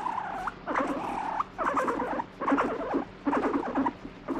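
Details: Grumpy pet guinea pig reacting to being stroked: a long level buzzing note, then strings of rapid stuttering pulses with squeaky peaks, in roughly four bursts separated by brief silences.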